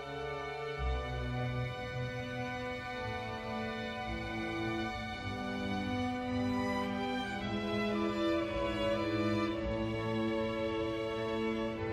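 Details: Soft orchestral music with sustained strings plays throughout, and no animal sound is heard.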